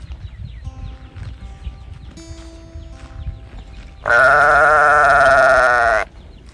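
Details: Calf calling out for its mother, giving one loud, strained, nasal bawl of about two seconds after a quiet stretch with faint chirps and low background rumble.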